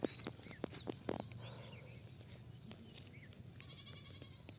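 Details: Farm goats kept for sale at Eid, castrated males fed on tree leaves; a few short, nasal bleats stutter out in the first second, then fade under high whistled birdsong and a brief buzzy rattle near the end.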